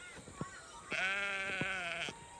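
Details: Sheep on a small farm coming up to a paddock fence as the farmer walks past in the morning, complaining while their lambs are being weaned; one loud, sustained wavering bleat of about a second, with faint clicks and rustling before it.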